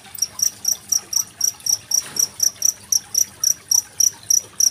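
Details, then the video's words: Genggong cricket recorded with trickling water, a master recording for training competition songbirds such as magpie-robins. Sharp, high chirps repeat steadily about four times a second over a faint low hiss. "Suara masteran jangkrik dan gemericik air"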